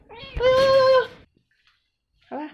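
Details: Undernourished new kitten kept in a cage, meowing loudly as it is fed; one strong, steady, nasal meow, then silence and a shorter second cry, with a person's voice nearby.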